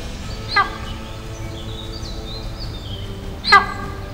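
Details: In India, in a drier inland area beyond the mangroves, antelope give two sharp, shrill alarm calls about three seconds apart; they call to one another whenever a tiger is nearby.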